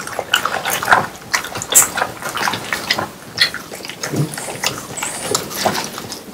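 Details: Three French Bulldogs eating watermelon indoors on a hot summer day: wet, juicy chomping and smacking with crisp crunches and slurps in quick irregular bursts, close up.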